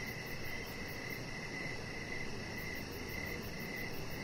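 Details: Crickets chirping outdoors in the evening beside a deck with decoration lights, a chihuahua puppy lying nearby; high pulsed chirps repeat in steady bursts over a broad low rumble of background noise.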